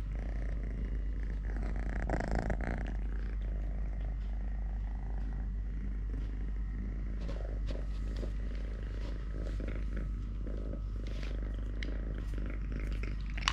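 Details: Long, even low purring from Totoshka, a three-legged house cat, while playing, feeding or wrestling with a hand; the rumble pulses steadily throughout with light rustling and occasional soft taps over it.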